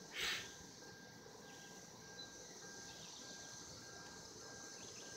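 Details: Cicadas calling for mating in 2016, a steady, faint buzzing drone held without a break throughout, with one brief loud rasping burst near the start and low background noise.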